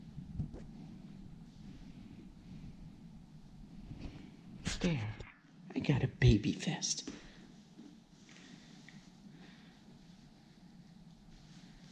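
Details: Soft whispered speech and breathing in a small quiet room, rising briefly in the middle, with no animal voice heard.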